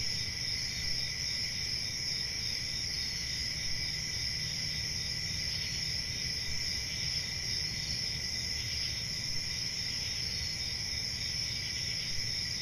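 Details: Crickets chirring through a summer night in a forest, a seamless high-pitched layered trill held steady throughout, with a dull low hum beneath.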